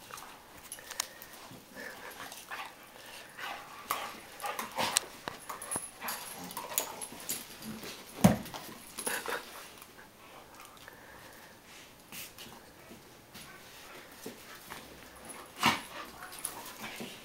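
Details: Two dogs, Ruger the Weimaraner and Remi the Vizsla, playing together; soft scattered whimpers and huffs among sharp scuffling clicks, with one louder thump near the middle and brief bursts of activity throughout.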